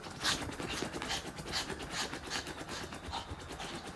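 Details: Koo, a pet dog, reverse sneezing after overexcited fast running around while a cat named Nora looks on; rapid rhythmic snorting gasps, a hoarse "guk-guk" repeated about twice per second, breathy and noisy, with no other clear sounds.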